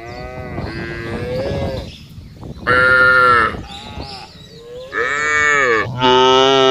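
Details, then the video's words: Cattle in a big herd being moved across open pasture: overlapping lowing of varied pitch, a few loud bellowing moos toward the end, with some bleat-like higher calls mixed in. "Menggiring Sapi Lembu Berkeliaran menyusuri Padang Rumput yang luas dan diiringi suara sapi"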